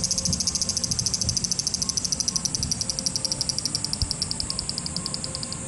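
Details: Cicadas in Japan, a high pulsed buzz in fast regular beats, about two pulses per second, over a dense continuous high drone and faint low background noise.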